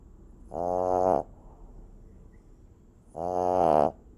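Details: Two rasping, nasal snores from a sleeping puppy, roughly two and a half seconds apart, each a short vibrating buzz over faint background hiss.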